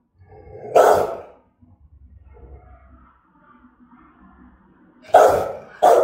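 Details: Threatening Rottweiler barking, German-type dog in Vietnam: one heavy bark, a long stretch of low, soft rumbling, then two sharp barks close together near the end.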